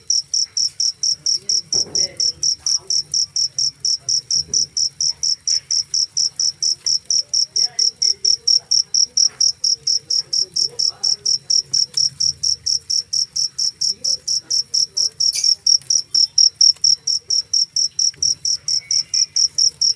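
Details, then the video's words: Persistent cricket chirps, high and metallic, repeated at a brisk regular pace throughout, while faint scattered rustles and a low hum sit far beneath the dominant insect. "suara jangkrik"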